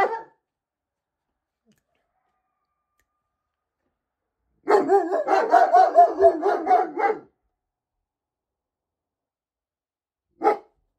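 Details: Neighbourhood coyotes give a quick burst of wavering, yipping howls, with German Shepherd dogs barking back in a howling and barking exchange.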